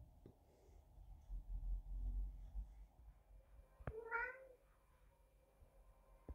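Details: Neighbour's cat meowing indoors in the background: one rising-falling harmonic meow near the four-second mark, with low rumbling room noise and a few sharp knocks.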